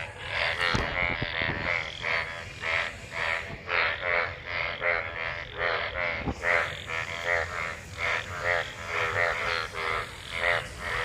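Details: After monsoon rain, numerous frogs in pooled rainwater croak during mating, an overlapping chorus of buzzy harmonic calls roughly every second, with a few sharp clicks early on.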